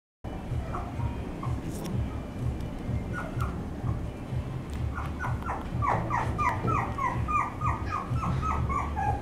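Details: Dog whimpering: a run of short, high, falling whines, sparse at first then quickly repeated in the second half, over a steady low rumbling background.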